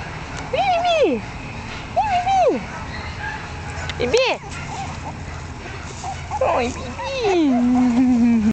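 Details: Month-old female Jack Russell Terrier puppies give loud arched whines that drop off sharply, three in a row, followed by a long wavering cry that slides down and holds low at the end.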